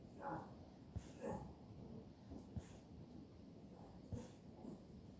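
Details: Button, a female Bullpei dog, napping indoors; soft breathy snores come in a steady rhythm roughly every second, each a short wheezy puff with a faint low snort at its peak, over quiet room hiss.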